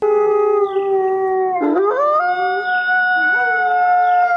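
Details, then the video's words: Several wolves howling together: long, smooth, tonal notes held at different pitches, overlapping, with one voice dipping and then sliding upward midway through. "қасқыр. Қасқыр ұлиды. Бұл"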